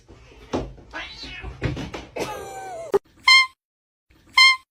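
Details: Cat giving two short, clear, evenly pitched meows about a second apart, after a stretch of rustling, knocking and scuffling noises.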